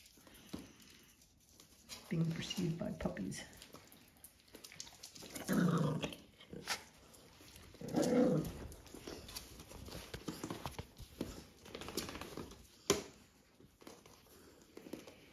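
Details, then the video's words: Playful puppies on a County Kilkenny farm in Ireland pursuing older dogs, giving low rough growls in bursts around two, six and eight seconds amid scuffling and a voice. "Growls, play, feeding and sleep. Puppies just doing their thing"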